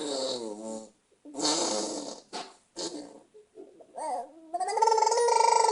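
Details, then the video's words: House cat Luca letting out strange noises: a rapid mix of snorting, breathy bursts and clicks, then warbling tonal chirps that swell into a sustained, pulsing, nasal cry. "Our Luca making crazy noises"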